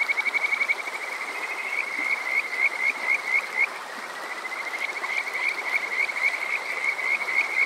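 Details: Kajika frog, summer night, Water Park Shirayama, Yokoze, Chichibu District, Saitama, Japan, captured on a TASCAM DR-05X: bright whistled rising chirps in fast series, roughly four per second, pausing briefly midway, above soft stream noise.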